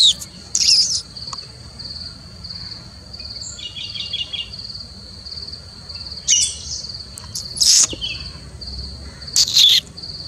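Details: Three-striped or Indian palm squirrel calling: a few scattered sharp chirping bursts several seconds apart, with a quick run of soft higher notes between them, over a continuous high-pitched hum from insects.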